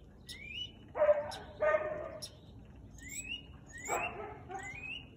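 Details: Siberian Husky barking on 13 March 2021 at 4:17 pm: two loud, harsh barks about a second apart, with rising, chirpy bird calls before and after.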